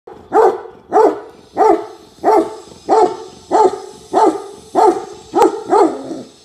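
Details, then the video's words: Tibetan Mastiff in India barking steadily, deep resonant woofs repeated about every 0.6 seconds, nine evenly spaced barks with no other sounds. "Tibetan Mastiff Barking"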